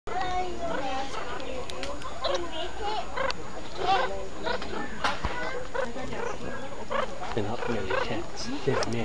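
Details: Baby meerkats at Auckland Zoo, having their dinner, give a busy chorus of high, squeaky, overlapping chirps.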